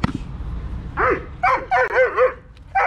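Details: Dog barking during protection training blind work with a helper: a short burst of five or six sharp, harmonic barks in quick succession after a moment of quiet, with faint background noise.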